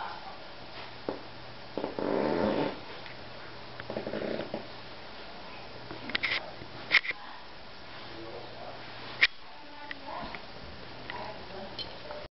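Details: A male Basenji gives short, throaty, moaning vocal bursts between quieter snuffles and soft clicks; Basenji (Canis familiaris) vocalizations.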